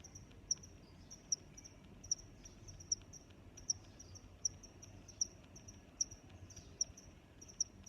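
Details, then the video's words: Cricket chirping from a relaxing nature recording: crisp, very high chirps repeated evenly, around ten in eight seconds, linked by a faint sustained high buzz over a low, steady background hiss. "Sounds of Crickets"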